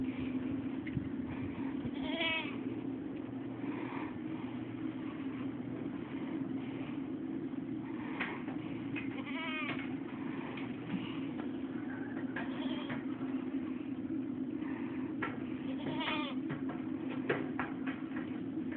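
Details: Goats calling in short, wavering, quavering bleats scattered every few seconds, partly buried under a loud, steady low droning hum.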